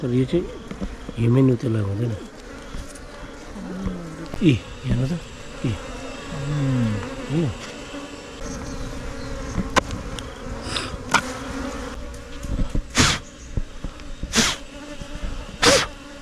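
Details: Himalayan honey bees at a honey-hunting site in the mountains: a steady, low, droning hum runs throughout. Men talk over it in the first half, then the buzz carries on with sharp clicks and knocks.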